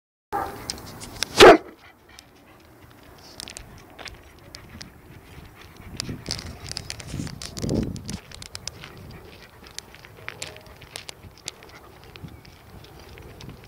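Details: An Alsatian named Jim gives one loud, sharp bark near the start, then stays quiet. Soft rustling and faint clicks continue in the background for the rest of the recording.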